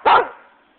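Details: Single short, forceful bark from Flint, a West Siberian Laika asking for an orange toy while a Shiba Inu, Conker, plays around; the bark fades quickly into a quiet room.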